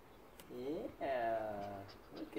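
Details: Nine-week-old Belgian Malinois puppy, woken from sleep, greets its owner at the door after work: two high, wavering whining cries, the second longer and drawn out, with soft human voice around them indoors.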